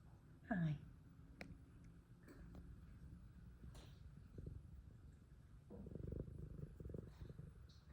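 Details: An F2 Savannah cat purrs hard, a deep throbbing rumble that surges stronger near the end, opened by one short descending chirp-like squeak early on, with light clicks in the background.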